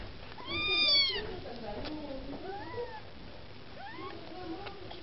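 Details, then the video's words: Maine Coon kittens beside their mother Lakshmi, seeking food: one loud, arched, drawn-out meow opens, followed by softer, lower mews and a rising call near the end. "Котята мейн-кун: хочешь есть - умей втереться"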